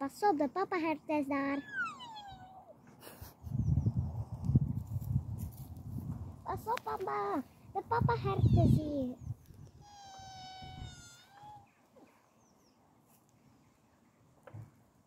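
Sika deer give high, harmonic squealing calls that slide downward, with rustling and voices nearby.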